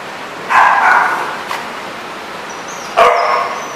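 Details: Dogs recorded in Rhode Island on January 31, 2014: two loud barks about two and a half seconds apart, with a faint short sound between them and a thin high tone near the end.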